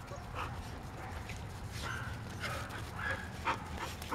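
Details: Eight-week-old Samoyed puppies from a Rhodes x Azure litter born 10 January 2015 give soft, high whimpers and short yips in scattered bursts, about one every second or two, over a low steady background rumble.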